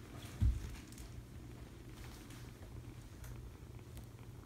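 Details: Foster kitten being cuddled, giving a soft continuous low purr, with one brief thump near the start and light rustling of handling.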